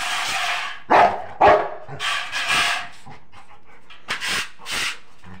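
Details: A Rottweiler in Haryana, which keeps barking even at night, gives loud, deep barks in short bursts while people talk nearby.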